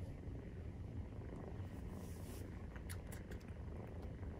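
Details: Nursing Maine Coon cats, the kitten 43 days old, give a steady low purr; a dense rumble fills the clip, with light clicking and rustling sounds near the end.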